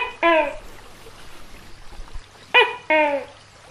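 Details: Brief take of a big tokay gecko: a single falling croak, a pause, then a loud paired call, a short harsh note and a longer, lower descending one, against faint background hum.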